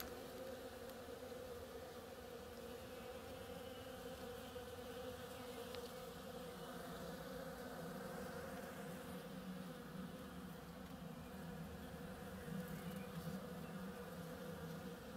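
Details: Bees busy on the blossoms of an oriental creeper give a continuous layered droning buzz, a steady hum holding level throughout, with a low rumble underneath and a brief tick near the middle.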